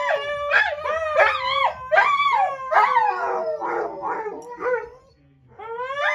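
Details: Golden Retriever gives a run of wavering, moaning howls that rise and fall in pitch like speech, "saying I love you" back to its owner.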